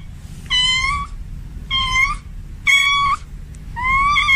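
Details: Male domestic cat in heat calling a female: four fairly high, steady-pitched meows in quick succession, about one per second, each slightly rising at the end, over low-level background hum.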